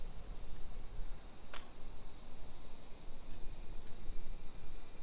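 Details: Cicadas singing in summer around a modern suburban street in Nisshin, Aichi, Japan, early afternoon, 28 July 2021; a continuous shrill buzzing hiss sits high above soft low rumble from the street, with one brief sharp tap.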